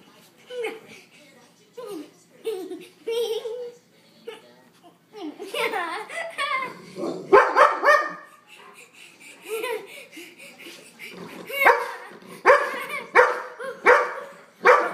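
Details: Pet dog named Otis barking at a zipper indoors in a small room; short, sharp barks come in bursts, clustering toward the end, mixed with a person's coaxing talk and some laughter.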